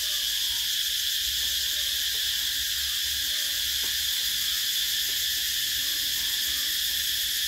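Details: Cicadas calling in summer: a dense, unbroken high-pitched buzzing drone holds steady at the same loudness throughout, with a bright shrill band running through it and no pauses or other clear sounds.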